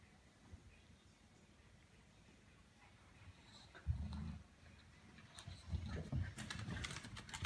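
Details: Bulldog and Corgi at play; a brief deep growl breaks out, followed after a pause by a longer low rumble, mixed with sharp scrabbling clicks and rustling from the tussle.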